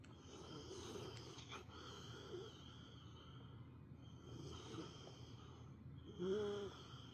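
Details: A female pet dog napping at home, snoring like an old man. Rough, drawn-out snores come about every three to four seconds, with a brief higher whine-like tone near the end, over a low steady background rumble.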